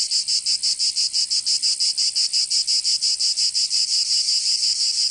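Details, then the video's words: Cicadas in Provence, southern France, during summer: a piercing high-pitched rattling buzz beating in very even rapid pulses, roughly four per second, filling the whole stretch. "Canto Cigarra 🦗 [ Escuchar les cigarras en verano 10 H]"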